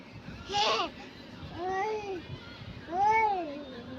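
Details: Pet cat, apparently called Lalu, meowing during play as a child is urged to call it; three drawn-out, arching meows, each rising then falling, about a second apart, with a brief noisy burst at the start and human voices nearby.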